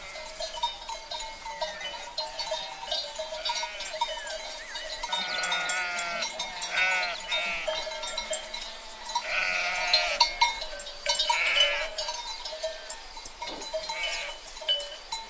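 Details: Sheep herd bleating: several overlapping wavering bleats, some higher and some lower, rising and falling over a steady hum and clinking bell-like tones, with a busy, crowded background throughout.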